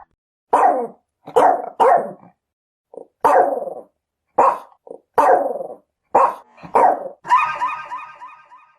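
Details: Chihuahua giving a run of quick, high-pitched barks, roughly nine sharp yaps at irregular intervals, ending in a longer whining, tonal bark-howl.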